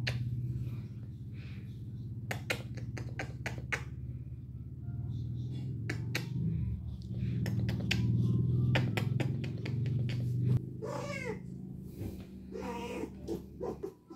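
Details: Spayed cat Mandy, in heat for 19 days due to ovarian remnant syndrome, holds a deep droning yowl for about ten seconds over sharp taps and snaps. Short wavering meows with bending pitch close the clip.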